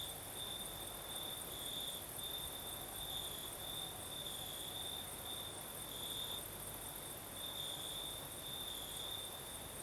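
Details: Crickets singing at night in the south of Crimea with a night breeze: a steady high chirring band, pulsing in brief bursts, over a soft broadband hiss of wind.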